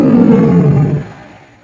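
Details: A tiger on a jungle safari gives a deep, rasping roar that slides lower and fades after about a second.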